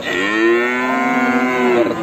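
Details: A horned male Limousin calf at the Gorang-Gareng animal market in Magetan, Indonesia, shortly after Eid al-Adha. It lows once for about two seconds: a deep, even, sustained moo with rich overtones and a brief rise at the end.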